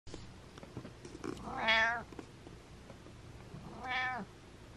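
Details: A cat named Butters meows indoors, two drawn-out harmonic meows about two seconds apart, the first louder and longer, with faint rustling and soft clicks between them.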